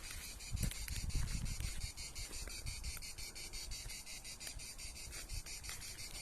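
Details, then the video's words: A cicada sings near trees in the Pas-de-Calais mining basin, where it is unusual. Its buzzing song has rapid, even pulses throughout, with wind rumble and handling noise early on. "Et puis là, à la fin, là, je vais mettre ma petite vidéo où on entend la cigale du Pas-de-Calais."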